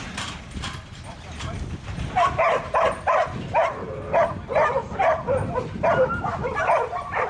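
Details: Buttons, a young male Border Collie being trained as a 2012 futurity prospect, barks steadily about twice a second over a rumbling, noisy background, the barks loud and evenly repeated.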